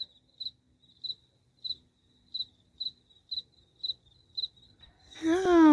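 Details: A garden cricket sings late at night, giving short, high chirps about every half second, with a person's voice at the end.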